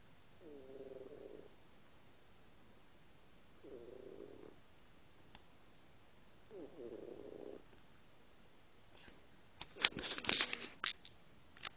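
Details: Kitten asleep, giving three soft, rough snoring breaths spaced about three seconds apart, followed by a louder burst of rustling and handling noise at the close.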